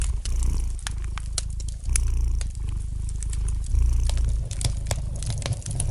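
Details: Domestic cat purring gently beside a fireplace: a steady low rumbling purr in long stretches broken by short pauses for breath, with sharp crackles and pops from the burning fire scattered throughout.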